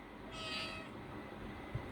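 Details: Domestic cat meowing in a short, drawn-out call, with a person speaking nearby and background music.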